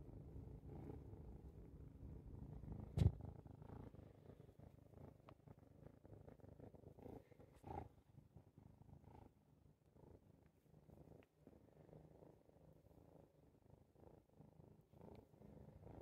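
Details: Contented purring from a house cat that is happy while watching birds through a window. The low, soft, continuous rumble is broken by one sharp click near the start and a few faint knocks.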